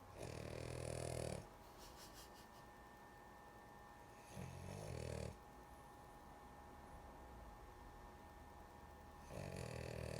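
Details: Sleepy female dog snoring indoors, with loud, rasping breaths of about one second each, separated by quiet pauses of several seconds, over a steady background hum.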